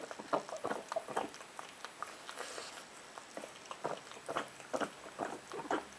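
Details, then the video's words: A pet pug eating indoors: rapid wet smacking and chewing clicks, irregular bursts of soft crackly mouth noises repeating through the whole stretch, with no barking or other voices. "Pug Bram eating and making noises"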